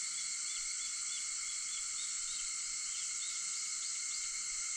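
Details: August 4, 4:50 a.m.: a constant high cicada drone in stacked bands, with a few faint rising chirps scattered over the steady buzzing.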